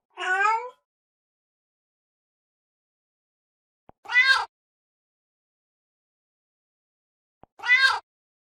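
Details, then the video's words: Three separate cat meows spaced about three and a half seconds apart, each short and harmonic, the later two brighter and higher-pitched, with quiet clicks just before each and silence between. "Funny Cats Sound"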